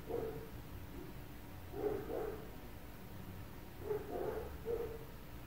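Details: Neighbours' dogs barking at 4 a.m. around an apartment, heard from indoors at a distance: short, mid-pitched barks in loose pairs and triplets, separated by pauses of about two seconds, over a steady low hum.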